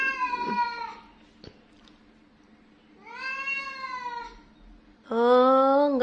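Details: A cat that is angry and grumbling gives three meows: a short one at the start, a drawn-out wail in the middle, and a louder, lower, harsher meow at the end. Faint human speech is heard between them.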